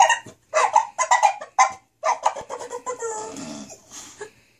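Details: English Bulldog indoors, upset at being left alone while her owners were in another room; a run of harmonic whines and groans in short bursts, then a long wavering moan fading out.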